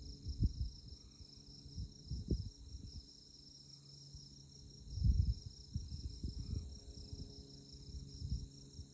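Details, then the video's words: Moonlit tallgrass prairie at Konza Prairie Biological Station, Kansas, with insects chirping: an unbroken, shrill, fast-pulsing trill overlaid by bursts of low rumbling noise. "Insect Chirping Sounds"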